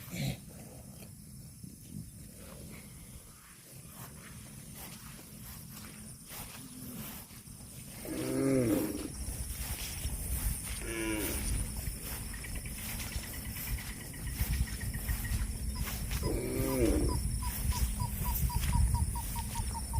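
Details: Cattle eating grass, outdoors; three separate moos spaced several seconds apart, each a brief, bending, harmonic-rich bellow over continuous low rumbling and a faint high steady hiss.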